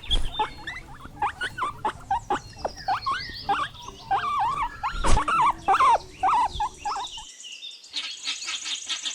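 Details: Guinea pig giving rapid, repeated high squeaks and chirps that rise and fall for about seven seconds, followed by a brief, different shrill buzzing sound.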